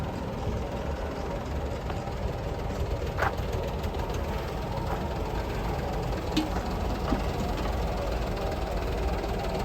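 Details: A steady vehicle engine rumbles and knocks throughout, with faint voices and a few clanks, but no animal calls.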